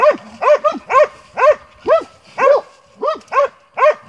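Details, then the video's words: Montenegrin Mountain Hounds from kennel 'Sutorman' on a hunt, giving loud arched baying barks about twice a second in a steady, slightly uneven rhythm, each bark with a ringing harmonic stack. "Hunting with Montenegrin Mountain Hounds from kennel 'Sutorman'"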